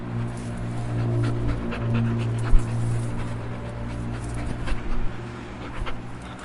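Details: Dog breathing: a run of soft, breathy noise bursts, quick in-out panting at an irregular pace, with a steady low hum underneath throughout and one sharp thump near the middle.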